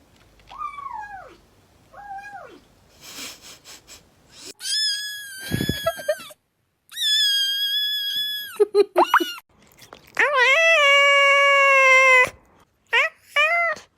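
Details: Domestic cat sounds: a series of varied meows, from short falling mews to long, drawn-out, strongly harmonic yowls, with brief chirpy calls at the end, indoors.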